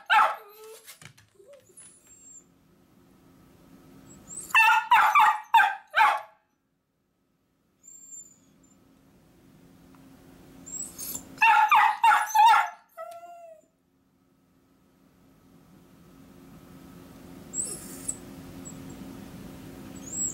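A Miniature Dachshund gives two bursts of rapid, high-pitched barks, wanting to go along as its owner leaves.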